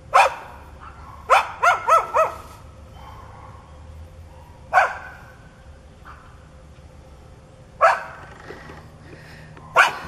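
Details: Hostile neighbour's dog, foaming and charging at a person, opens with a bark, then a fast cluster of four barks, followed by spaced single barks every few seconds over a low hum.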